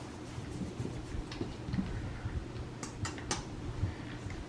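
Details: A small indoor room with soft ticking and tapping clicks, a steady low hum, and a few sharp bright clicks near the end; no animal voice.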